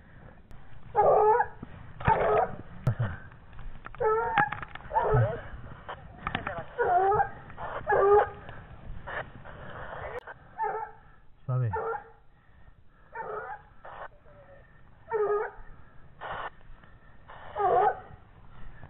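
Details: A 17-month-old Gascon Saintongeois hound bays in short, ringing bursts while on the trail of wild boar.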